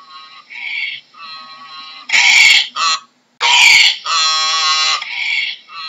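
A donkey brays in loud, rasping honks that swing between higher and lower harmonic notes.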